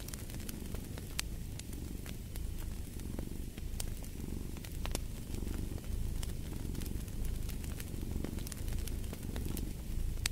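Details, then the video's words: Domestic cat purring in a low, steady rumble that swells and fades with each breath, while sharp crackles and pops from a fireplace fire scatter throughout. "Fall asleep to the Purring of a Cat"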